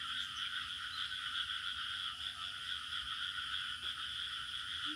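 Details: Village night-style ambience of crickets: continuous shrill, pulsing trill held at two steady pitches without pause, a constant insect-and-frog chorus with a faint short note near the close.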